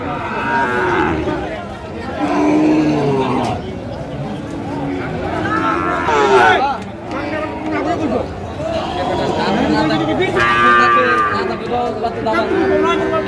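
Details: Sahiwal bull calves for sale at Ambari cattle market in Dinajpur on the first day of Ramadan 2025; a few drawn-out harmonic moos rise over constant crowd chatter and men talking nearby.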